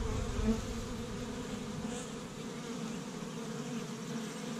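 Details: Spring activity at an established honey bee hive in Michigan, first warm day, workers foraging pollen from tree buds; a constant, layered buzz of countless bees, slightly louder at the start, steady after.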